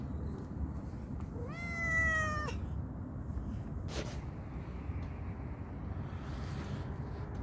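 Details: Calico cat, playful and hungry, gives one drawn-out harmonic meow lasting about a second, with a slight rising start and steady held tone; a brief sharp click follows, over constant low background rumble.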